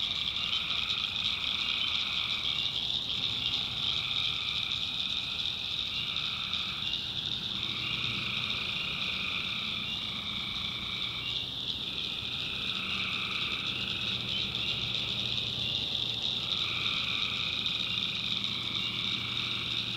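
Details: Tree frogs calling at night in a swamp in the backwoods of North Carolina: a dense chorus with a steady high droning trill, overlaid by repeated bursts of calls lasting a second or two that come and go every few seconds.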